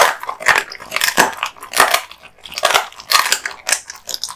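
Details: Male American Bully dog crunching raw meat and bones, heard as separate bright crunchy bites about every half second, with short quiet gaps between chews.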